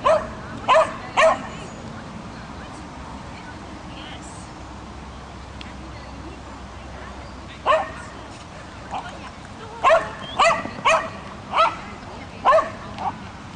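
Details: Swedish Vallhund bitch barking while doing agility, trained for two months; a quick burst of three sharp barks, a long pause, then a series of about eight clipped barks roughly every half second, over steady background noise.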